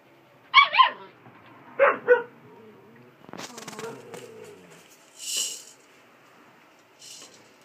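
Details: Collie puppy, 47 days old, giving two short bursts of high yelping whimpers, each a pair of rising-falling notes, followed by scuffling and a brief hiss of handling noise.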